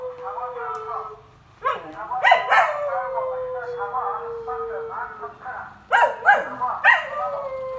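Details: Samoyed dog howling in a joint howling session, seemingly irritated; a long steady howl held for about two and a half seconds, slightly falling, broken up by short yelping bursts, with a woman speaking Korean nearby.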